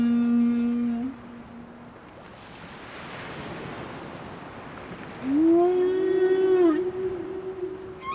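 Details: Whales near the observers off Alaska, giving a steady harmonic hum that drops away into a rushing hiss, then a strong rising, wavering moan that settles into a held tone, ending with a brief upward squeak.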